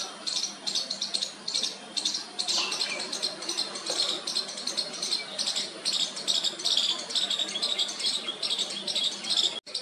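A baby squirrel gives high, raspy, rattling chirps in quick, uneven bursts, calling to its mother.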